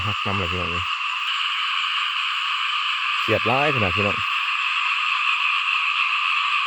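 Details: Many small frogs calling in a rice field after heavy rain, a dense, unbroken, high-pitched chorus running throughout, briefly overlaid by a man talking at the start and again in the middle.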